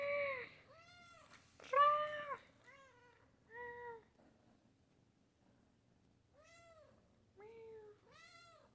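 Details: Pet cat, late 2020, producing a rapid string of about eight short meows, some bright and strained, others softer and descending, irregularly spaced over several seconds in a quiet room with faint low background hum.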